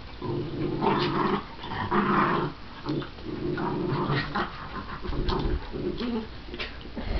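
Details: Two pet dogs playing together, a shih tzu/pomeranian mix that does most of the barking and a miniature schnauzer that growls while wagging her tail: continuous low rumbling growls with short barks breaking through in bursts.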